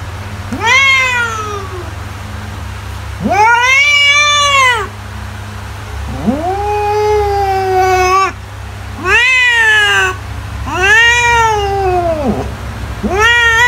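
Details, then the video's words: House cat meowing insistently, used as a mouse repellent: six loud, harmonic-rich meows in close succession, each swelling upward then drooping, some longer and lower-pitched, under a constant faint hum. "CAT SOUNDS TO SCARE MICE AWAY"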